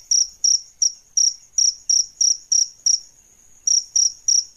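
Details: Adult crickets, male and female, kept as song tutors for songbirds: loud high chirps repeated about three times a second, each a short pulsed burst, with a brief pause before the run resumes; no other sounds.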